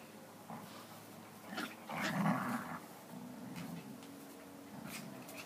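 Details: A Standard Poodle and a Toy Manchester Terrier at play trade low, rumbling growls that swell for a second or so, broken by short whimpers and snuffles, in uneven bursts indoors.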